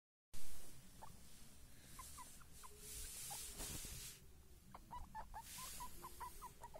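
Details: Baby guinea pigs giving soft, short, high chirping squeaks in quick irregular runs, clustered more densely toward the end, over low background hum and occasional bursts of rustling.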